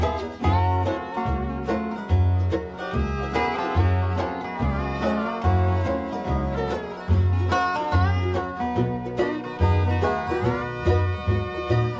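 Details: Upbeat bluegrass music with banjo and guitar fills the whole stretch, and no animal sound is heard.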